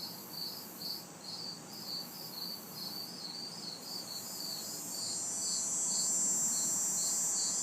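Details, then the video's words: Hot, humid summer night in a city backyard with crickets and cicadas: evenly spaced high chirps roughly twice a second, a shimmering cicada buzz swelling in the second half, and low distant traffic rumble. "Summer Night Sounds ~ Crickets, Cicadas"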